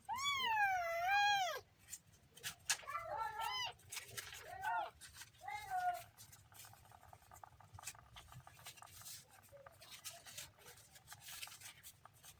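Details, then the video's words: Kitten gives one long, drawn-out meow that rises and falls, then several shorter meows in quick succession. The calls fade to quiet rustling and faint background noise for the last half. "kitten funny sound"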